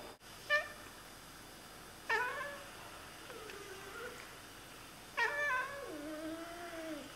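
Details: Two pet Oriental Siamese cats indoors chattering at birds: short harmonic chirps with sharp onsets near 0.5, 2.1 and 5.2 seconds, then longer wavering meow-like calls, the last drawn out and sliding down; quiet room background.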